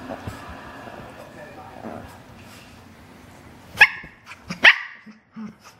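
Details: Two dogs play on a couch with hair pulling. After a stretch of murmuring voices, two loud, sharp barks sound close together, followed by a few softer yips.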